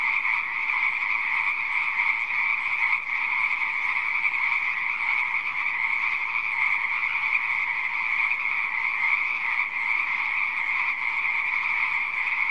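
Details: A dense frog chorus in a pond: steady, overlapping croaks forming an unbroken, ringing drone.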